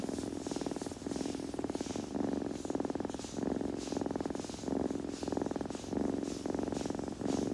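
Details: Close, continuous purr from a kitten, rhythmic rumbling that rises and falls with each breath about every half second, with soft grooming sounds behind it.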